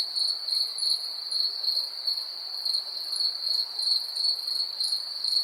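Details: Crickets at night in an ambient 3D night recording: a steady high, shrill trill pulsing in short chirps about three times a second, with a fainter higher shimmer above and no other clear sounds.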